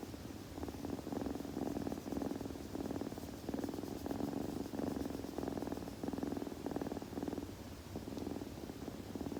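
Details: Kitten purring in a close-up ASMR recording: a steady, rapid buzzing rumble that swells and eases in breath-length pulses of roughly a second each, continuing without pause through the whole stretch.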